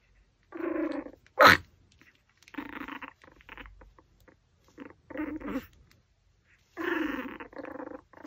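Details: Pomeranian eating a raw pork backbone indoors gives repeated short voiced whimpering and grumbling bursts, each about half a second to a second long, with one sharp click near the start.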